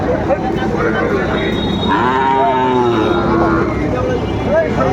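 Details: At a packed cattle market in Kurigram, 7 April 2025, a Sahiwal bull calf gives one sustained, slightly falling moo lasting over a second. Busy crowd talk and traffic rumble fill the background.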